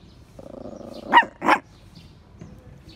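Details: Daisy, a female Poodle, sits on a marble bench in a community space after a short bath. A low steady whine runs for about a second, then two quick loud barks follow close together before things fall quiet.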